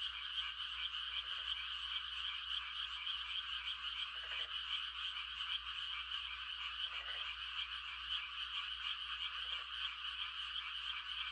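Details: Frog mating chorus on a quiet countryside night in rice-planting season, a steady high trill throughout, with short lower croaking bursts from a closer frog about four times, spaced a few seconds apart.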